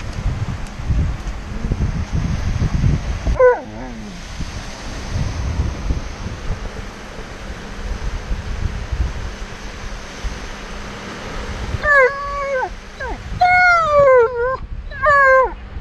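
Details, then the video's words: Impatient at sitting still on the beach, Alaskan Malamute Tonka gives one quavering howl, then after a pause a rapid burst of stepped, wavering howls and whines. Wind and surf hiss steadily throughout. "Tonka the Alaskan Malamute Reacts to sitting still at the Beach"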